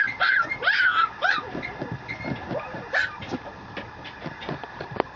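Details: A male Mameshiba puppy whines and yips in short high squeals over the first second and a half, then softer scattered whimpers with shuffling and rustling noises.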